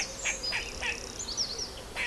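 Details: An Eastern gray squirrel (Sciurus carolinensis) in a tree gives sharp, chucking threat calls in short bursts while moving its tail almost like wagging; it seems alarmed by something, the filmer suspects not by him.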